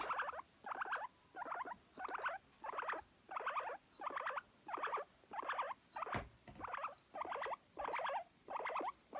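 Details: Pet guinea pig calling while seeking affection, recorded in spring 2019 in Japan: a steady series of short squeaky chirps repeated about one and a half times per second, with a brief click partway through.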